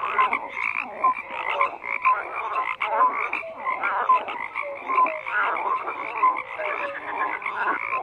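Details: Many frogs croak together in a thick, continuous chorus, mixing raspy pulsed calls with brief whistled notes that recur about every second, no other sounds present.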